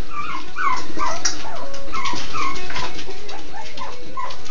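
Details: Miniature Schnauzer. A litter of Miniature Schnauzer puppies fills the air with high, thin whimpers. The short squeals rise and fall, overlapping one another in a restless, continuous chorus.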